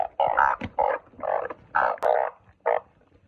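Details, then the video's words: Truncate-snouted burrowing frog calling at close range: a handful of loud, rough, nasal croaks, each under half a second, separated by short gaps, with a faint click midway. "เสียงอึ่งเผ้า อึ่งปากขวด"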